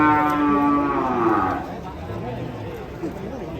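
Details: Cattle being unloaded from a truck in Indonesia, described as angry; a loud harmonic moo held for about a second and a half, sliding down at the end, then fading into crowd chatter.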